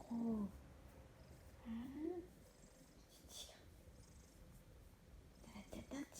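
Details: Hélios, a big Maine Coon cat from a cattery in the South of France, gives a short low meow, then a softer rising chirp-like meow, and a faint call near the end, while a woman talks to him gently in French indoors.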